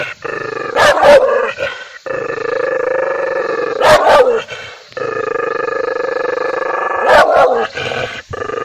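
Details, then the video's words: Angry dog growling loudly in long, steady rumbles, each broken by a short burst of harsh, explosive barks roughly every three seconds. "angry dog barking/dog barking sound/dog barking loudly/kutta ki awaj"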